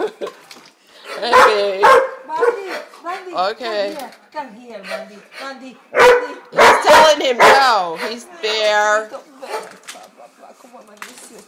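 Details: German Shorthaired Pointers giving yips, whines and short wavering howls in scattered bursts, interleaved with a woman speaking to the dogs in English and Spanish.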